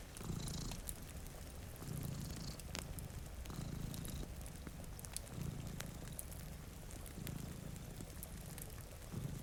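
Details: Low purring from two sleeping cats in front of a rainy window. The rumble comes in soft, even surges about every one and a half seconds under a steady patter of rain and scattered crackles from a fireplace.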